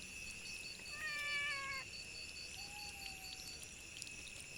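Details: Stray cats meowing loudly for food and shelter during the monsoon: one strong, drawn-out harmonic meow of nearly a second, then a softer, thinner, level call, over constant high-pitched buzzing tones in the background.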